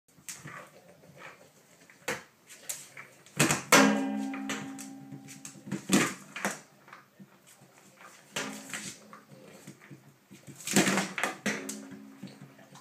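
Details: Dog giving two drawn-out, harmonic-rich vocal bursts about seven seconds apart, the first near four seconds. Sharp clicks and knocks fill the gaps between them.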